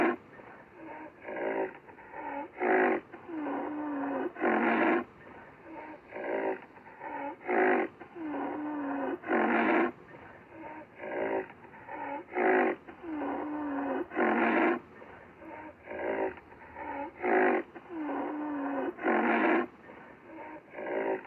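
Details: Black rhinoceros repeating harsh, breathy snort-like blasts mixed with quieter low wavering squeals, a steady rhythm of bursts roughly every one to two seconds.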